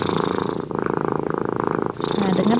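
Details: A domestic cat purrs while sleeping just after a bath, a steady, fast, rumbling throb showing it feels comfortable and calm near its owner.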